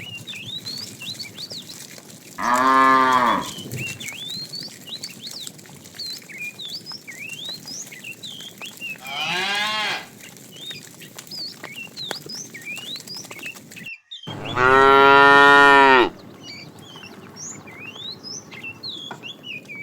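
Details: Tame cows being herded to green pasture in the morning; three loud, drawn-out harmonic moos of about one second each, with many chirping birds whistling throughout the background.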